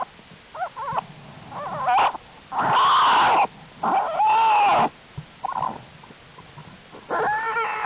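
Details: Cubs of Jewel, an American black bear, calling in their winter den on January 31, 2012, as warm temperatures keep the den active. Several loud, long bawling squalls with wavering, slightly falling tones, mixed with shorter harmonic yelps and soft shuffling.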